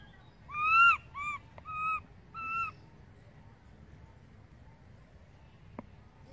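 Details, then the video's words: Left behind as its mother Beaker wanders away, baby monkey Berry cries for her: four loud, pure wails, the first longest and arched, the rest shorter and steady, followed by quiet background with a faint click. "Cute baby Berry crying loudly for mom, Beaker go far away from Berry, baby monkey calling mom"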